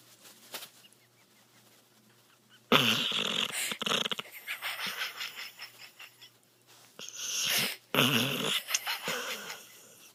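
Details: Dog snorting while held in its owner's arms indoors. Harsh, wheezy snorts come in two longer noisy bursts with rapid fluttering pulses, separated by quieter snuffling and near silence.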